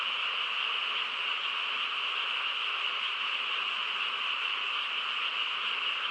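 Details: On a calm rural night, a mass of frogs calls together, producing a constant high-pitched trilling hum with a fainter mid-pitched layer, steady in loudness from start to finish.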